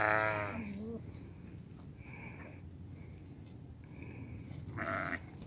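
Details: A white improved billy goat; a loud, harmonic, nasal bleat opens the recording, followed by fainter wavering bleats around two, four and five seconds over a steady low rumble.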